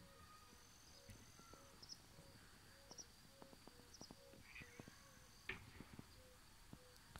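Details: Yellow-bellied toads (Bombina variegata) give soft, low hooting notes in the evening at a mountain-village homestead in Transylvania, several callers overlapping in a gentle chorus.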